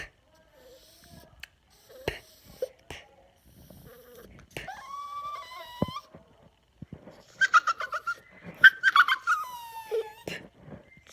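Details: A pet Yorkshire Terrier, annoyed by air blown in his face, makes odd noises: quiet snuffles and clicks, then a run of thin whistled whines, some rising and falling, clustered near the end.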